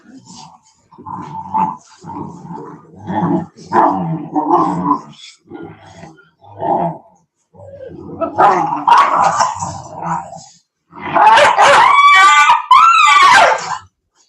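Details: Cane Corso, or Italian Mastiff, from a breeder's pack west of Nashville, Tennessee: bursts of rumbling growls and gruff short barks, building to a louder, high, wavering whine near the end.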